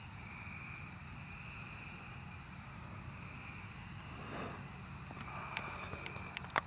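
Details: Continuous whining drone of cicadas in the 2024 emergence, layered steady high tones without pause, joined near the end by a burst of quick sharp clicks and taps close by.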